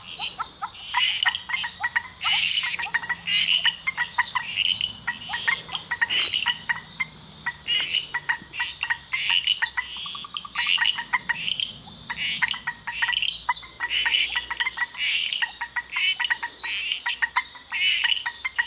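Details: Frog chorus in Costa Rica: dense overlapping short clicks and chirps repeated rapidly, with a steady high insect-like whine running throughout and scattered higher trills.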